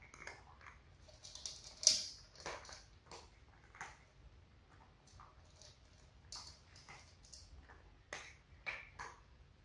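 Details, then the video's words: Four cats, two adult sisters and two kittens, eating dry food for a relaxing ASMR recording: quiet, irregular crisp crunches and clicks of kibble, with one louder crunch near the second mark, over a low steady hum. "Cat food eating sound"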